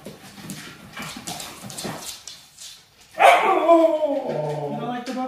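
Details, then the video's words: Siberian Husky being dramatic: after about three seconds of quiet talking and rustling, a loud drawn-out harmonic wail rises sharply, then wavers and slides down in pitch, holding on to the end. "huskies being dramatic"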